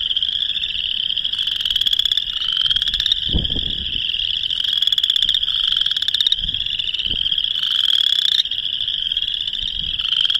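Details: A chorus of boreal chorus frogs gives their mating call in March 2021 in Northern Illinois: rapid, rising, creaking trills that overlap into a steady wall of sound.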